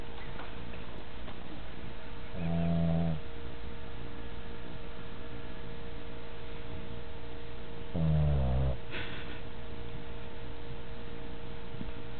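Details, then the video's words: Sleeping pet dog snoring indoors: two deep, rasping, low-pitched snores about five and a half seconds apart, each lasting under a second, over a steady faint room hum. "My Dogg Budyy Snoring"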